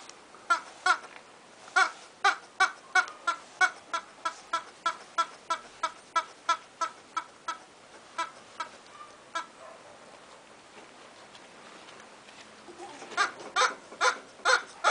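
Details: A two-month-old Bull Terrier puppy gives short, high whimpering yelps, repeated about three times a second.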